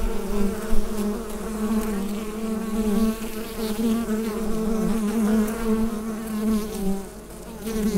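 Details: Colony of bees buzzing in their hive, Rode NT-USB microphone recording; an unbroken, even drone with a warm low pitch, fading a little toward the close.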